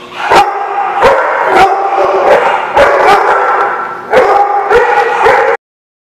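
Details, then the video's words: Dogs barking loudly and almost without pause, sharp overlapping barks bursting out at irregular intervals over a dense, continuous harmonic din, then sudden silence near the end. "The Barking Lot"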